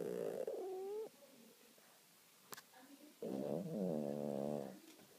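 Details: Domestic cat snoring in its sleep: a short tonal, wavering snore early on, then after a quiet pause a longer, louder harmonic rasping breath lasting about a second and a half.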